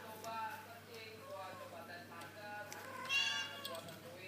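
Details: Kittens that have just learned to walk mew repeatedly in thin, wavering cries, several overlapping over a few seconds, with a louder rising meow near the end and soft human talk underneath.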